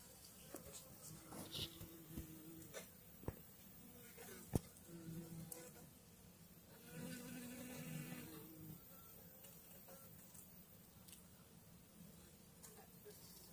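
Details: A Western honey bee swarm hums in a low, steady drone with scattered knocks and clicks, in May 2022, with the swarm placed onto two frames: one of food and one of brood with the queen.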